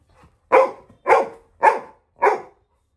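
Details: Labrador Retriever puppy Little John guarding his home against a stranger coming inside, giving four loud, evenly spaced barks about half a second apart on a quiet background.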